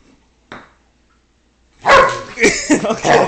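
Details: Salazar, a pet dog, aggressive and refusing to give up a block of wood; after a short quiet stretch, harsh snarling growls and snaps come in several bursts, loud and close, with a person speaking nearby.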